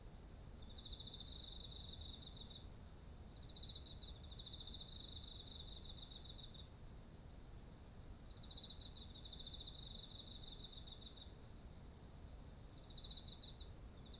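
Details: Autumn insect chorus by heavy-eared rice: repeated high pulsed trills come in long bursts with brief breaks, while a lower chirper joins intermittently and a steady shrill ring runs throughout above faint low hiss.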